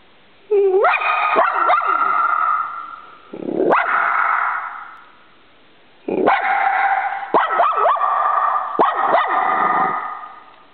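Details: Dog barking at a squirrel outside: two bursts of rapid, high, harmonic barks and yips with sharp sliding onsets, separated by a short pause, then a brief whine-like bark in between.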